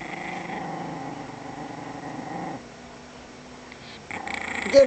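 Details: Small dog growling over a bone: a steady, low, rumbling growl for a few seconds, then quiet, then a brief louder burst at the end.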